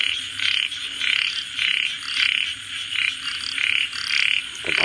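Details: Rapid series of frog croaks, short buzzy trilled bursts coming nearly twice per second in an uneven rhythm, over a quiet constant hum.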